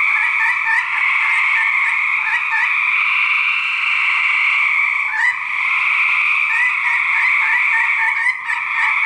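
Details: Fighting male gray treefrogs, 2010: a thick trilling chorus with separate short pulsed notes repeating over it in bursts, especially in the first three seconds and again near the end.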